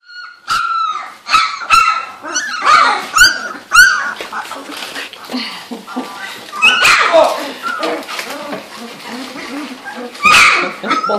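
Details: Female Labrador Retriever puppies, 2-3 weeks old, on the Gold Coast of Australia, learning to use their voices while playing: a run of high, short squeaky yips and whines, several overlapping, with brief pauses and a quieter murmur between bursts.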